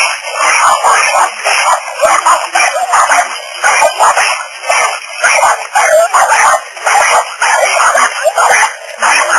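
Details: Several small neighbourhood dogs barking aggressively through a fence at a person in a back yard; rapid, harsh, yappy barks in dense overlapping bursts, several per second, with brief gaps and some voices in the background.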